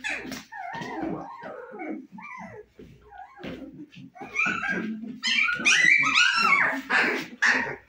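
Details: Litter of Husky puppies at 25 days, eyes open and keen on playing, producing a run of squeaky whimpers and yips roughly twice a second, building louder toward the end.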